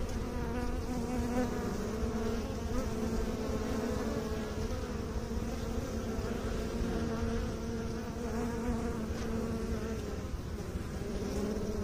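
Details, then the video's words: Honey bee buzz sustained for about twelve seconds, a steady humming drone with two stacked tones that swell and fade gently, set against low background rumble. "Bee song"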